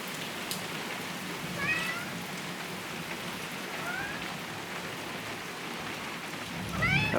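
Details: Maine Coon cat indoors during a thunderstorm with lightning, giving three short high meows spaced a couple of seconds apart over steady rain noise, the last one clearer and rising.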